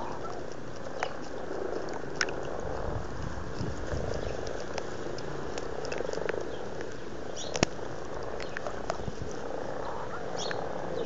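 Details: Frogs in a February garden pond at Blarney, Cork, Ireland, very amorous, produce an unbroken low, rumbling purr of massed croaking, scattered with sharp clicks and light water sounds.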